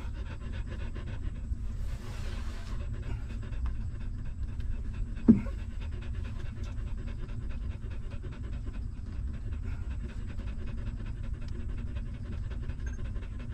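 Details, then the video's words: Hungry newborn puppy of a stray mother dog sucking milk at feeding time; steady rapid low rhythmic smacking pulses run throughout, with a brief soft hiss near two seconds and a single sharp click past five seconds. "Hungry Puppy Sucking Milk"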